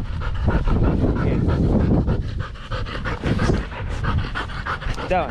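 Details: Belgian Malinois Danny breathing fast and loud between throws of a fetch game in the Philippines, dense huffing pants with a person's voice mixed in and a short squeak at the end.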